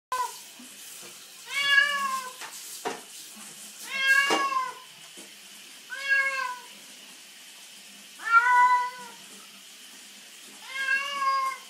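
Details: Pet cat named Puss Puss meowing while being bathed after rolling in dirt; five loud drawn-out meows with stacked harmonics, spaced about every two to three seconds, over quiet splashing and running tap water.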